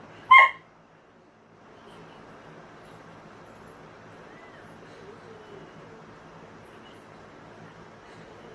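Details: Indoors, a Siberian husky watching a husky compilation video on TV lets out a single short, forceful bark near the start, then only a soft, continuous background murmur.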